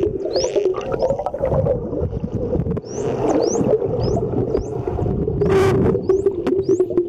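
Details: Wild dolphins at Mikurajima give short, high, rising whistles as bubbles come from their blowholes, repeated over a steady low underwater rumble.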